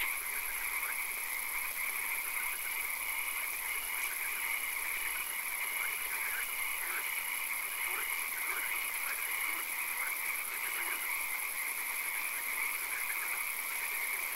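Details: A dense night chorus of frogs in a swamp, with rapid pulsed croaks overlapping against a steady high insect hum.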